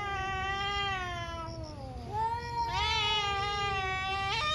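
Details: Angry cat during a morning fight between two ferocious cats, giving a sustained, slowly wavering yowl that dips low and then climbs into a bright, strained howl, set against steady low background hum.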